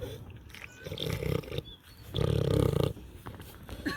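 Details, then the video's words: Pig on a farm, eating and snoring. Deep, rough, rumbling bursts about a second long, a weaker one followed by a louder, fuller one, with gaps of softer rustling and clicking between them. "LISTEN TO PIG EATING AND SNORING SOUNDS"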